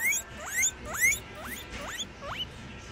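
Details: Baby guinea pigs singing while eating from a spread of food. Thin rising chirps sweep upward, repeated about every half second in a steady series, over faint munching noise.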